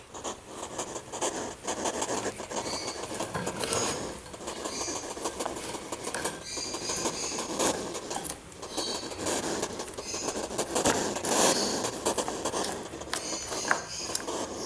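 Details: An irritated hedgehog at a wildlife rescue centre, being rehabilitated to regain weight before release, huffs and snuffles in rapid, noisy bursts, agitated by other hedgehogs in the room.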